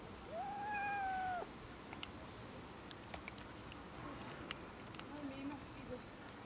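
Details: Cats and a kitten quarrelling over food, a little fight; one clear, drawn-out meow that rises and holds steady for about a second, followed by softer, lower murmured cries amid light tapping and background hiss.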